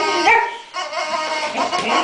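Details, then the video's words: Boxer dog making funny vocal sounds, a short harmonic whine-like yelp followed by softer grumbling tones, with a person speaking nearby. "The funny sounds boxers make"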